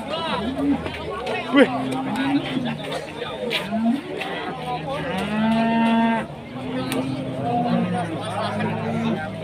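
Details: Agitated loose cattle in Indonesia, raging and chasing villagers: repeated low drawn-out moos with rising and falling tone, several overlapping, amid shouting voices and crowd chatter.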